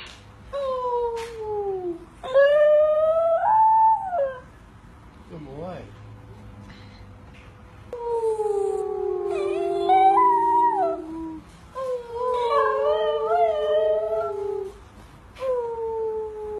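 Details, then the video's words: Corgi howling in a duet with another voice indoors: long tonal wavering howls with rich harmonics, several rising and falling phrases separated by short pauses, one low growly break near the middle. "Perfect duet"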